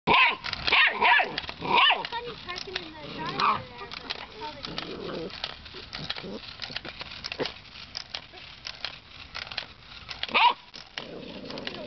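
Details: Nine-week-old puppy barking at a monkey toy indoors: high, yappy barks bunch together in the opening two seconds, with another sharp yap near the ten-second mark. A person talks throughout.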